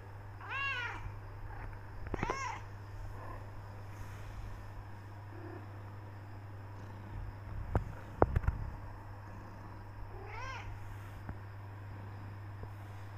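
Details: Black tortoiseshell Persian cat Becky keeps meowing to go out and be fed; three short arched meows, two early and one near the end, with thumping knocks in the middle and a constant low hum.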